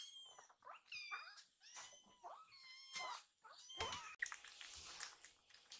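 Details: Two rescued baby kittens crying for food and demanding extra milk after eating; rapid series of high, wavering meows, several overlapping, about seven calls in a few seconds, ending with rustling and handling noise indoors.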